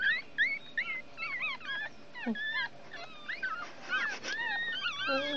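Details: Several one-week-old Chihuahua puppies drying in the sun whimper in overlapping squeaky, wavering high cries, rising and falling in pitch, with brief louder bursts and a soft low murmur near the end.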